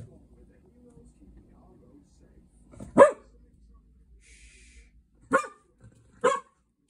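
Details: Cocker Spaniel Gigi, on 25 July 2023 during a first meeting with guinea pigs, gives three abrupt barks spaced irregularly, one then two close together later, over soft rustling and a quiet background.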